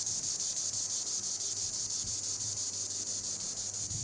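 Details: Green annual cicada (Tibicen linnei) singing in the treetops: a loud, continuous high buzzing drone, steady and pulsing about twice a second, with faint low background hum.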